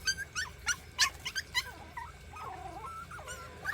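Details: Rural mixed-breed puppies, about forty days old, yip while struggling to climb a staircase. A quick run of sharp, high yelps gives way to a drawn-out, sagging whine, then one more yip at the end.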